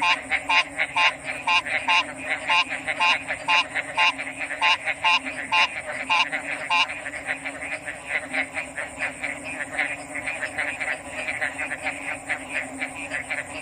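Frogs call in quick, regular croaking pulses over a steady high insect hum.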